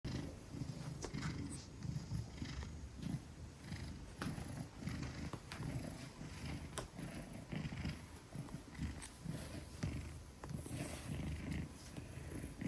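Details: A 10-kilogram Maine Coon purring while held trustingly in a woman's arms; a steady low rumbling purr runs throughout, broken by frequent handling clicks and rustles.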